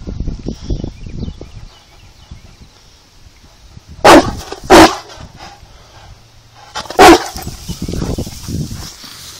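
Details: A Saint Bernard, frightened by a little rock, gives three loud, deep barks, two close together and then one more after a pause, while a person speaks calmly to it before the barking.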